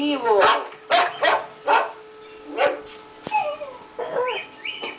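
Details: A five-month-old male pug barking in response to hearing other dogs bark, several short hoarse barks spaced about a second apart, followed by higher whining yips and whimpers.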